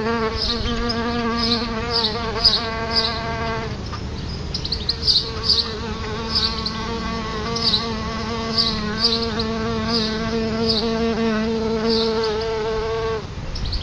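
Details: Solitary bees at a nest just outside a house's front door: a steady, low droning buzz with rich overtones runs for nearly four seconds, breaks briefly, then resumes for eight more, while short bright bird chirps repeat overhead.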